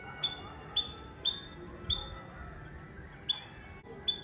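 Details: Squirrel in Nazareth, Tamil Nadu, India, giving sharp, high, clicky chirps, six in just over four seconds at uneven half-second gaps, over a faint steady hum and low rumble.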